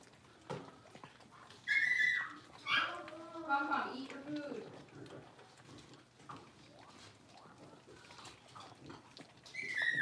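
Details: Playful litter of five Blenheim Cavalier King Charles Spaniel puppies in a home puppy pen: a run of shrill, wavering yelps and whiny barks that rise and fall over a few seconds, amid rustling and faint human talk.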